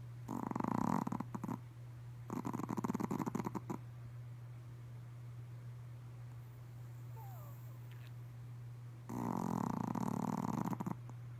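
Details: Lillie, a Pomeranian, on a midday nap, snoring in three raspy, rattling bursts of one to two seconds each, with quiet pauses between them and a constant low hum throughout the room.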